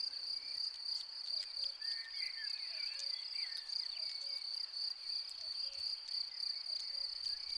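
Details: Field cricket by its burrow, heard as a continuous high shrill ringing trill beneath scattered faint whistled bird notes and low rustling noise.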